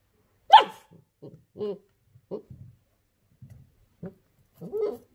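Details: Female puppy Daisy, first week with her family, lecturing a disliked new toy: one loud high yap followed by a string of small soft grumbling woofs and squeaky noises, indoors.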